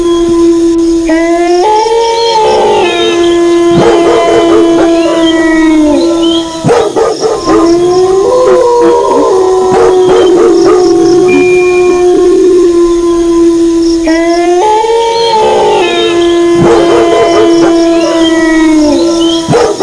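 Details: Wolves howling, accompanied by dog barking: several long, smooth, overlapping howls hold steady or slide gently, rising at the start, with a second chorus swelling near fifteen seconds and sharp barks breaking in throughout.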